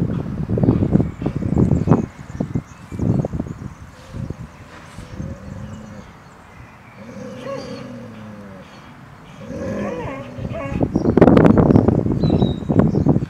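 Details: Two Airedale Terriers, Nelson and Toby, father and son, from Insel Rott, growling at each other in rough bursts, then drawn-out moaning growls with a tonal, wavering edge, before loud harsh snarls return near the end.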